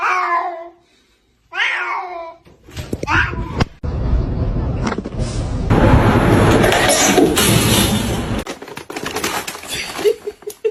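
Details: Two short, bright kitten meows rise and fall at the start. They give way to loud clattering and broad noise from handling or movement, with faint voices.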